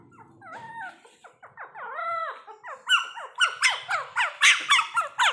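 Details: A mini Pomeranian playing with its owner gives a fast run of high, squeaky yips. Each one bends up and then down, about four a second, and they grow louder and sharper toward the end.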